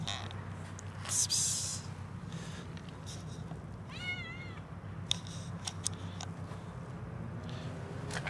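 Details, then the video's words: Cats quarrelling over food: a short, harsh, noisy hiss burst, then about two seconds later a clear, wavering, tonal meow lasting about half a second, over a low steady hum and faint background clicks. "Cats quarrel over food"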